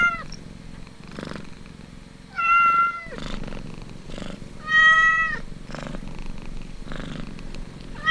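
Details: Kitten purring while suckling at its mother, a throbbing purr in repeated bursts. Two loud drawn-out mews of about half a second each stand out above the steady purring cycles.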